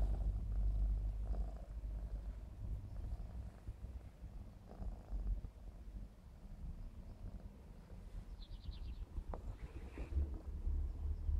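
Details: A 4½-month-old Maine Coon kitten named Clarence, black smoke type, purring as he plays, a loud low rumble dominating throughout, a quick trill of high chirps near eight seconds and a sharp click after nine.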